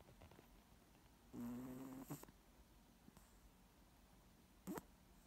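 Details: A moose snoring gives one drawn-out, nasal, buzzing breath of nearly a second, followed by a brief rattle, a soft click and a short sharp snort near the end.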